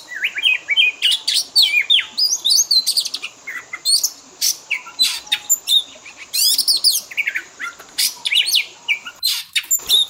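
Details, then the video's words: Pet-training fill-in material of Oriental magpie-robin song to improve its mimicry: a busy stream of clipped chirps, rising and falling whistles and harsh chattering notes, barely pausing, with a high steady hiss behind. "Pancingan burung Kacer; full isian istimewa"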